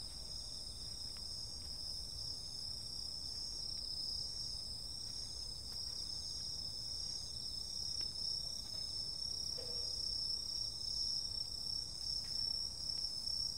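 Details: Summer night insect chorus, a continuous piercing high ringing drone layered in several bright bands, unwavering for the whole stretch over a soft low hum.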